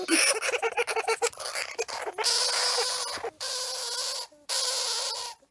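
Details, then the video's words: Banjo the hamster lets out rapid scratchy squeaks, then long drawn-out harsh screams broken by short pauses, each shriek noisy and piercing with a steady nasal tone underneath. "The Screaming Hamster"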